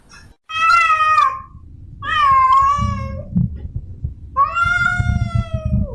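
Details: Domestic cat, a female in heat, calls to a male with three long, wavering yowls of about a second each; steady nasal tone, the last one sliding downward, with low thumping noise between them.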